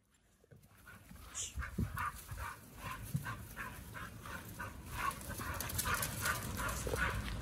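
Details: Pit bulls Oliang and Nomyen on a raw diet eating raw quails and giant sea bass skin: wet, crunchy chewing and crackling bites, irregular but rapid, growing louder after a quiet start.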